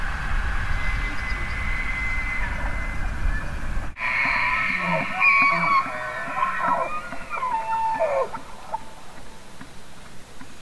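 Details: Elk bugling: high whistled tones with overtones that waver and shift for several seconds, ending in a falling note, after a stretch of loud low rumbling noise that cuts off abruptly.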